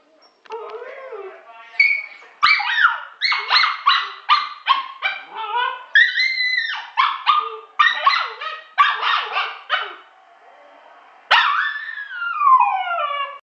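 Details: Pet dog howling like a wolf in a long run of rapid, pulsing, warbling howls with choppy breaks, ending in a long falling wail; faint speech in the background.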